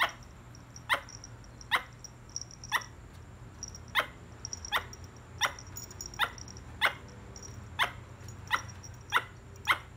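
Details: A squirrel calls with a long series of short, dry, broadband chuck notes, about fifteen of them at an uneven rate, over a quiet steady hum.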